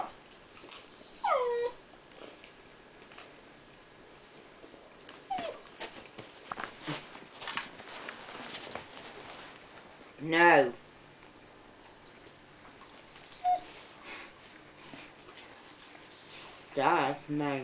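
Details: Pet husky indoors vocalising while asking for someone's toast: a few short, separate whining yelps that slide downward, spread across long quiet stretches, with soft household noises between them.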